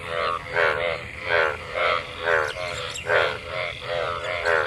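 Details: Mating frogs in rainwater after monsoon rain: loud, rasping harmonic croaks repeated about once every three-quarters of a second, each with a rising shape, over a softer chorus of distant callers.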